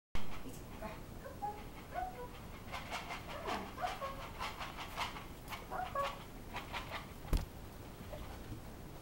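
Pembroke Welsh Corgi puppies give high, thin squeaks and whines among panting and clicking feeding noises.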